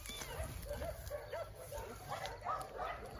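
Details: Abandoned baby kittens found in the grass beside a dog shelter on a rainy day, mewing helplessly: a run of about eight short, high, arched mews rising and falling in pitch, over a steady hiss of rain.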